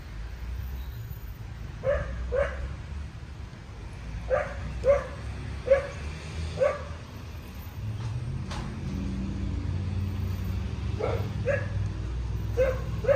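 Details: Lola, a two-and-a-half-year-old Cocker Spaniel in distraction obedience training, struggling with anxiety around new people and environments; short sharp barks, mostly in quick pairs, about a dozen spread over the stretch, above a constant low traffic rumble.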